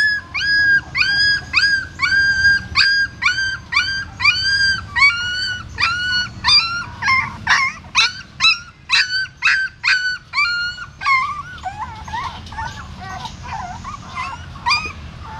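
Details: Female dog carrying her newborn puppies in her mouth from a hole in a pagoda stupa to another place in Siem Reap: high, whistled squeals with bent contours, repeated about twice a second, fading and turning raspier toward the end.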